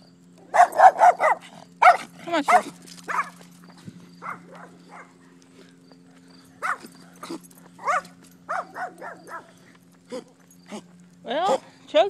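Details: German Shepherd on a walk barking in loud, uneven bursts, quick runs of rough barks with short pauses between, some yelping at the end, against a constant low droning hum.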